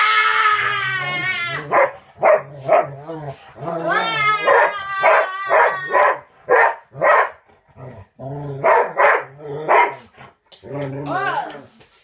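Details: A king poodle howls in long, wavering tones, then breaks into a string of short yelping cries.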